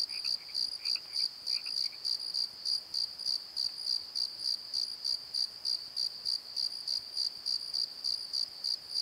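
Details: A nighttime cricket chorus at Pozo, recorded in a valley bottom near a tree: bright, rapid chirps pulse steadily about three times a second, with a few brief lower chirps early on before the steady rhythm carries alone.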